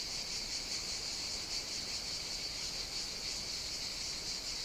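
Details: Summer cicada chorus recorded on the Greek island of Evia, a constant shrill rasping drone with gentle waves of intensity and nothing else clearly heard.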